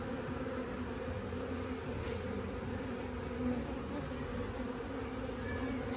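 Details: Busy honey bee hive opened for a first inspection, giving a continuous rich buzzing hum, low and steady with layered overtones, faint short ticks scattered above the drone.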